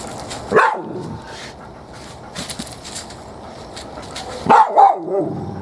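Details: Dog named Shiney, upset near a cicada shell behind trees, gives two sharp, loud barks about four seconds apart, with a person's quiet calling voice in between.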